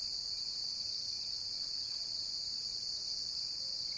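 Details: Cricket chirping as a steady, unbroken high-pitched shrill that holds level throughout, with no other clear sounds.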